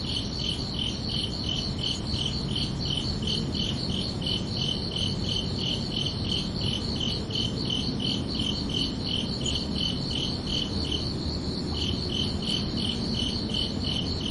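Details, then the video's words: ['Chirping crickets on a peaceful summer night, a sharp high pulse repeated steadily around three times a second, briefly thinning before resuming, over constant low background noise.'] "Calming Cricket Sounds for Relaxation"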